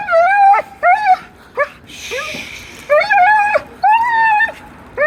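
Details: Odd vocalising from a dog, loud drawn-out whines that arch and fall, interrupted by short yips, with a brief breathy noisy burst in between.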